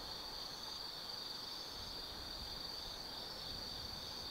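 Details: Autumn night insects in Tsukimi no Mori, Gifu Prefecture, Japan, overlooking the Nobi Plain: a thin, continuous high-pitched ringing trill, steady and fairly faint, layered over an even hiss of background noise.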